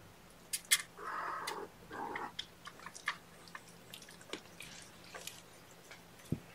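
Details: Foster kittens on the morning of 2018-05-08, around a syringe formula feeding and cuddled on a lap: two drawn-out, steady mid-pitched mews near the start, followed by soft scattered clicks and faint chewing noises indoors.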